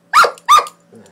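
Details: Doberman at play fighting gives a quick double bark, two sharp, bright yips about a third of a second apart. A soft low rumble follows.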